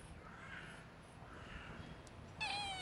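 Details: Hungry stray street cats fed pieces of sausage on a twig; faint drawn-out meows early on, then a sharper, clearer meow at the end, with a man's voice coaxing them to eat nearby.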